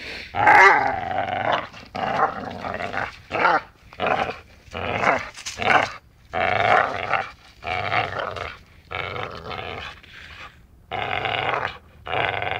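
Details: Dachshund growling in play while biting, a string of rough, harmonic growls in short bursts of one to two seconds, separated by brief quiet gaps, with a few sharper yelps.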